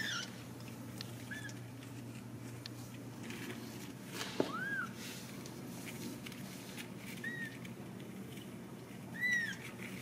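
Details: Home-raised Ragdoll kittens in a central Kansas cattery give scattered short, high mews, one louder rising cry midway and a final arched mew, over soft tapping and a constant low indoor hum.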